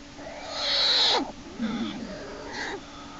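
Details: American black bear cub Jason in Lily's den on March 1, 2011, kicking and screaming as his sibling Hope drags him back inside by a back leg. A loud, harsh, harmonic scream falls in pitch, followed by two shorter, fainter cries.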